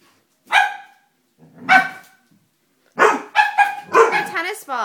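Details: Dobermann puppy barking while scared of a stuffed toy: a few separate sharp barks, then a quicker run of barks and yelps near the end.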